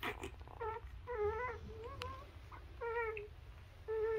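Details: Nursing newborn Labrador puppies whine in clear, thin, wavering squeaks, each about half a second long, arriving in separate bursts with short quiet gaps between.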